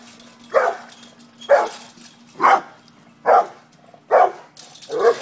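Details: Pit bull facing off with a cat gives six strong barks spaced under a second apart, each short and forceful, with a low background hum.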